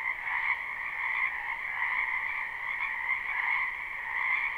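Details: Live spring recording from a backyard wetland full of frogs: a continuous mass of croaking voices, steady and buzzy, with a higher ringing band over a lower one and no gaps between calls.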